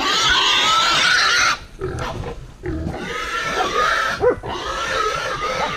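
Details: A wild boar under attack by hunting dogs screams in drawn-out, rasping, high-pitched squeals, pausing briefly after the first second and a half, with a single dog yelp cutting in near the end.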